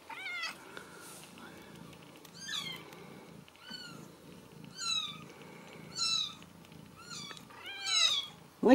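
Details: 3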